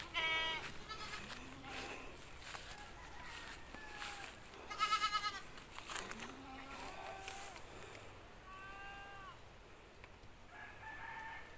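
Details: Several goats at a goat pen shortly after kidding, bleating in wavering, nasal bursts of varied pitch, some high and quavering, others lower and shorter, spaced irregularly over steady background hiss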